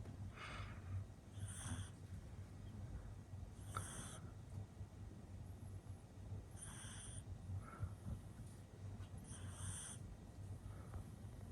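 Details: Male pug puppy born in 2021, asleep: soft breathy snores with wheezy nasal whistles, each lasting about half a second and recurring every two to three seconds over a steady low hum.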